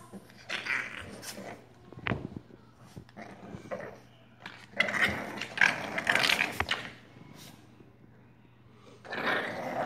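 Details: Two Olde English Bulldogge puppies, Domino and Saber, playing together: rough growls and yelping bursts come in uneven clusters, strongest around the middle and at the end, with short thuds and quiet gaps between.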